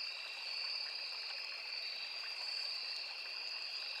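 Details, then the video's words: Crickets in forest near a small river sing a dense, constant high-pitched trill in two layered bands, backed by the gentle rush of stream water. "Crickets, Cicadas, Insects"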